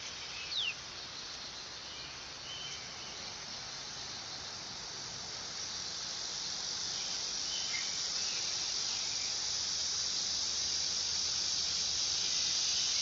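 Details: Dog-day cicada (Neotibicen canicularis) producing a high, hissing buzz that starts fairly soft and steadily grows louder across the clip, with faint outdoor background sounds.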